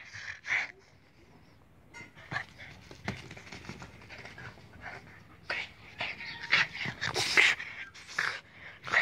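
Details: Léna, a Boston Terrier, vocalizes while a woman repeatedly urges her in Hungarian to say hello; a string of high whiny yips and breathy panting, irregular and growing busier toward the end, mixed with speech.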